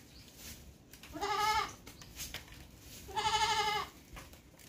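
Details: Two drawn-out, nasal goat bleats roughly two seconds apart, each wavering slightly, against a constant hiss of background noise.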